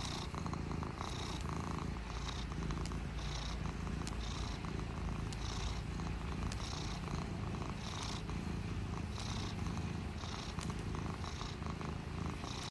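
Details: Contented, lovey house cat purring up close, a deep, unbroken rumble that swells and eases in a steady rhythm with each breath, about once per second, over a quiet background.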